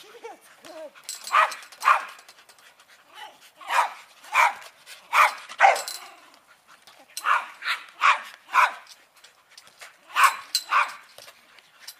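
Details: Rat Terriers at play with a tether ball give bursts of sharp, high yapping barks, often in pairs, spaced across the stretch with short quiet gaps between.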